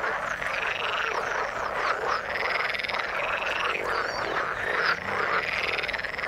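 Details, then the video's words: Frogs in the water give looping, rising and falling trilled calls over a packed background of croaks, several callers overlapping without a break. "Frog sound in the water"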